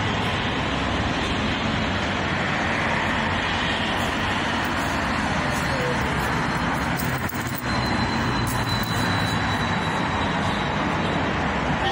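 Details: Loud, continuous engine drone from a vehicle or aircraft, with voices talking underneath.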